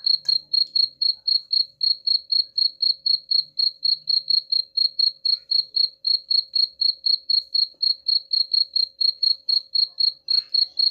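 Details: Cricket chirping, offered as a sound to drive away rats: steady, high-pitched pulsed chirps repeated about four times a second without pause, over a faint low hum.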